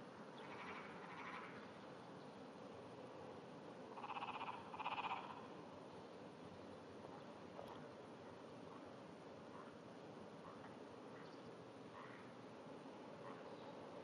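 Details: At 5:30 am on 16 June 2009, a Japanese wrinkled frog calls from beneath grass with a trembling, vibrating voice. Two short pulsed rattles come close together mid-clip, with a fainter one earlier, against steady low background noise.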